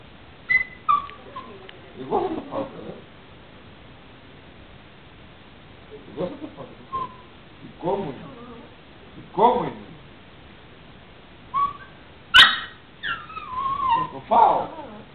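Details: Female puppy talking to her owner: high whistled whimpers and squeaky whines around the upper register, rising and falling in short bursts with gaps, mixed with a man's Greek speech between them.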